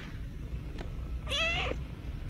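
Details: A domestic cat gives a single drawn-out, wavering meow lasting about half a second over a rumbling low background.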